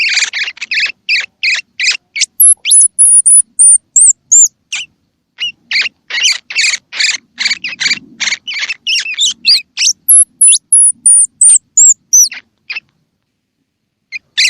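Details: Call of a baby squirrel, used to encourage baby squirrels to eat: dense runs of rapid, shrill chirping squeaks, a short lull, then more chirp bursts and a few thin, high, slightly falling whistles.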